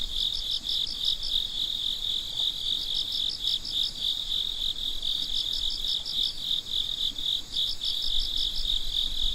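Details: Midnight chorus of crickets: a constant high trill with repeated groups of quick pulsed chirps every two to three seconds, layered callers overlapping, faint low rumble underneath.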